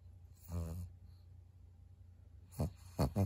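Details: Maria, a 12-year-old fawn female senior pug in Japan, recorded at 23:00 in November 2022: a short nasal, tonal whine with stacked harmonics, then a pause and three low, rough snorting grunts close together, in a quiet indoor room.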